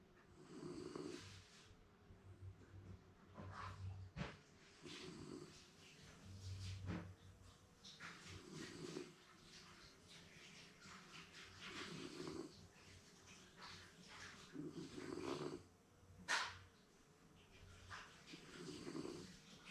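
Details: Shiba Inu, a round-faced Mameshiba type kept as a pet, snoring while napping indoors and seemingly dreaming; soft low rasping breaths repeat every one to two seconds with occasional sharper snorts and a brief click.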